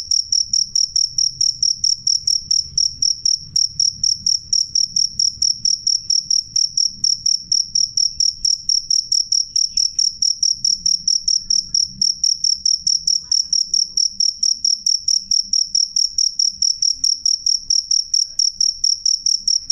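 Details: A loud, clear cricket gives a long unbroken run of sharp, shrill pulses, roughly 133 per minute, evenly spaced and piercingly high, over a quiet low background hum.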